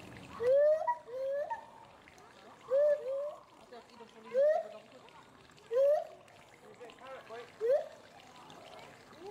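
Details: Loud rising whoops from the agile gibbon pair Samuel and Duana at Bristol Zoo Gardens, Bristol, UK, agitated by something in the bulrushes; steep upsweeping hoots repeat roughly every one and a half to two seconds, with softer overlapping notes between.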